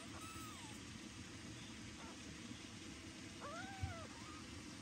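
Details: Baby kittens meowing loudly so their mother cat does not ignore them; thin arched meows, one early, a faint short one, then a louder doubled cry near the end, over steady background hiss.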